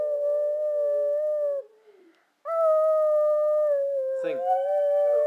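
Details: Brindle Boxer named Abby howling when asked to sing: two long, steady, harmonic howls separated by a short silence, the second wavering and splitting into two voices near its end. A short burst of other noise cuts in.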